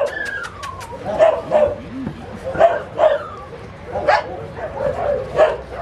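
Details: Puppies giving high, short yips and barks roughly every second, some falling whines between them, with a person talking nearby.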